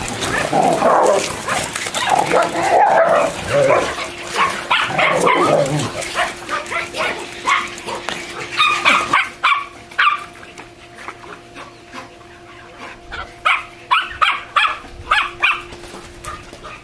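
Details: Two German Shorthaired Pointers give quick, sharp barks and yips in rapid bursts over a steady background hum while frolicking, swimming and wrestling in and around a pool.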